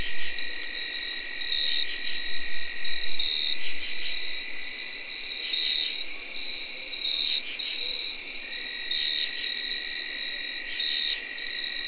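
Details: Early October night chorus from 2021 in which tree crickets hold a continuous even whirr, overlaid by field crickets' rapid chirping and repeated scratchy katydid calls that rise and fade in short bursts.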